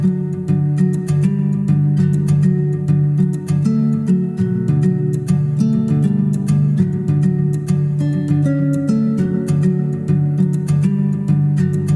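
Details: Steady acoustic guitar music with plucked and strummed strings, no animal sounds heard.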